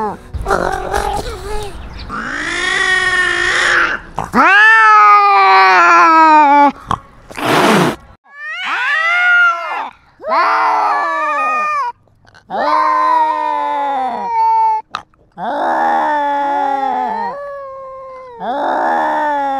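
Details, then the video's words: Cat wearing a GoPro asserting dominance in a territorial fight: a harsh noisy start, then a run of drawn-out, bending yowls, some wavering and sliding down, separated by brief breaks and a sharp burst near the middle. "Cat with GoPro fights and asserts dominance"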